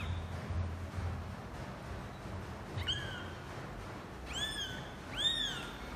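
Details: Domestic cats as a father cat first meets his kittens: after a low rumbling background, three short, high, thin meows come in quick succession, each sliding up and then down.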